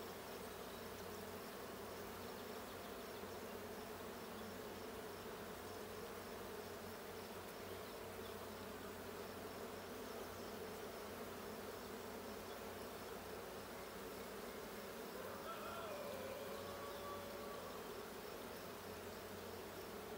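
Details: Colony hum from the blue honey bee hive, recorded at a hive check on 6/20/22: a continuous, even buzzing drone with faint brief whistly tones near the end.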